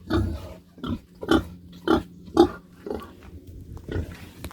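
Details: Domestic pig, a young female being raised as a future sow, kept in a backyard farm pen: deep, rough grunts repeated roughly once per second, about seven in a row, with short quiet gaps between them.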